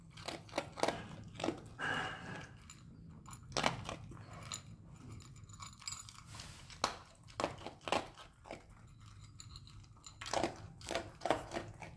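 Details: Crunching and chewing noises indoors, with no animal calls heard.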